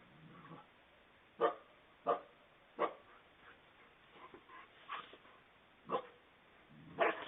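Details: Two coyotes cornering a fox on a front porch in the middle of the night in a Fort Mill, South Carolina subdivision, picked up by a Ring doorbell: sharp barks about every half second to one second, with softer yelps between them.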